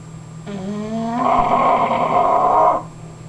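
An English Bulldog snores with one long, raspy breath that starts as a rising tone and turns rough and buzzy.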